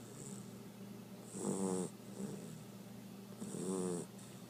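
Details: Dusty, a two-month-old blue Great Dane puppy, snores softly during a morning nap. Two slow, rasping, rumbling snores fall about two seconds apart, with quiet breathing in between.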